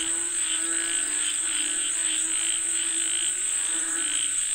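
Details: Chorus of frogs said to be calling for rain: overlapping croaks pulse in quick succession while a steady shrill insect drone runs through the whole recording.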